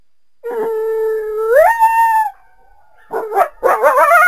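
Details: Coyote giving a long steady howl that climbs sharply in pitch, then fades; after a short silence, a burst of quick wavering yips follows.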